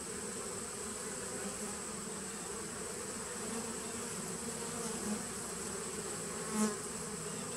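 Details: Continuous hum from a honey bee nuc colony established in 2017, taped on 19 September 2018; even low buzzing throughout with a faint high steady tone and a single short swell of louder buzz near the end.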